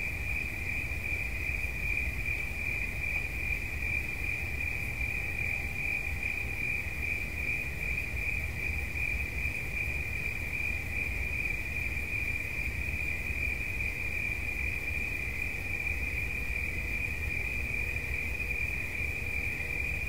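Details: Unbroken high, even trilling from a cricket sustained for the whole stretch, no pauses or pitch change, accompanied by steady low-frequency background rumble.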